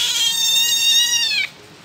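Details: A young civet, found at Cikereteg, gives a long, steady, mewing call that dips slightly at the very end.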